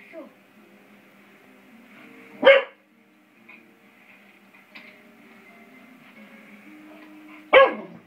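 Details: A five-month-old English Springer Spaniel named Beau, playing with a door spring, gives two isolated sharp barks about five seconds apart over a faint steady background hum.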